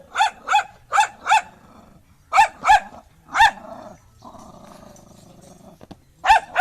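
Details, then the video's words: Angry dog fires loud sharp barks in pairs and short runs, with a low rumbling growl filling a pause in the middle before the barking resumes. "Angry Dog Barking Sound"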